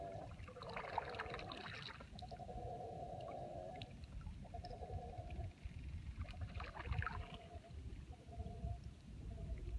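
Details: Mantled howler monkeys, two troops disputing from opposite banks of the Tortuguero River, Costa Rica, recorded from a paddled canoe; far-off roaring howls come in bursts of one to two seconds with short gaps, over a low rumbling background.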